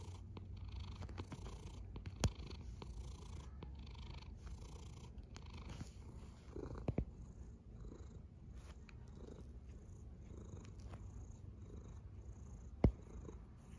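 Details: Sleeping cat snoring with a steady, soft, deep rumble that runs without a break, with a few faint clicks and sharp ticks over the low hum.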